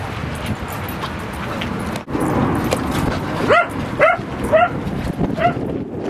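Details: Dog play at Seal Point Dog Park on the western side of San Francisco Bay, July 19, 2014, with Rosy and Rocky: four short, high yelping barks about half a second apart over steady outdoor background noise.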